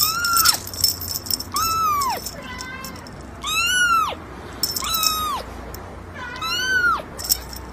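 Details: Kitten giving insistent meows, about six bright, strained cries that bend up then drop sharply, coming roughly every second or so, with faint background hiss.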